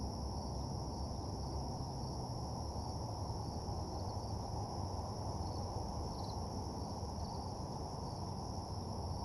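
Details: Crickets at night in a deserted parking lot, a steady unbroken high trill holding at two pitches over a heavy low rumble of background noise.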